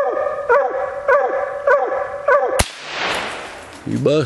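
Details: Female Bluetick Coonhound on a raccoon hunt, giving loud, even barks about every 0.6 seconds, then a sharp gunshot-like crack followed by a rushing noise and a voice.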